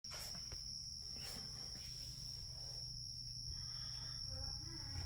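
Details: A Carolina ground cricket kept indoors in a critter-keeper habitat gives a steady, high, unbroken trill over a low indoor rumble.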